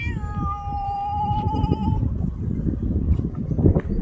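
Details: A ginger domestic cat gives one long, drawn-out meow that holds a steady tone before fading.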